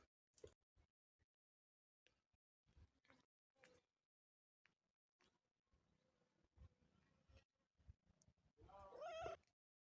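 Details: Motherless kitten mewing once near the end, a brief wavering cry with a bent, rising-then-falling tone, after several seconds of soft knocks, rustles and faint background noise.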